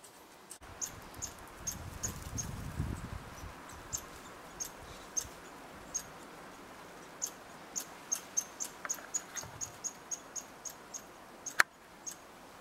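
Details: American red squirrels interacting at a bird hide in Eastern Canada; thin, high squeaky chirps repeated in an uneven series, roughly two per second, with a brief low rumble early on and a sharp click near the end.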